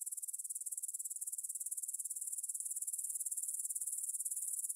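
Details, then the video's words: Grasshoppers in a field by Svensky Monastery, Bryansk, Russia, on the evening of 6 September 2020, 9 pm, recorded in stereo with a Tascam DR-44WL: a very even, fast-ticking, high-pitched rasping trill with evenly spaced pulses and no other sounds. "кузнечики на лугу – Grasshopper Sounds in the Field"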